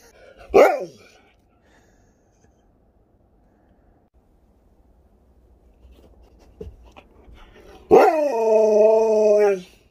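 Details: Alaskan Malamute indoors, reacting to an Alexa smart speaker: one sharp yelp, a long quiet pause with faint household sounds, then a sustained, wavering, harmonic howl-like vocalisation lasting about two seconds.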